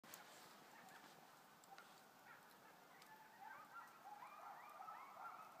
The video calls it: Coyotes singing yip yap